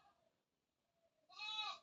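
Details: Domestic goat in a Bangladeshi home calling loudly from hunger though grass had been given; one short, strained, nasal bleat with strong overtones rises out of quiet after faint voices.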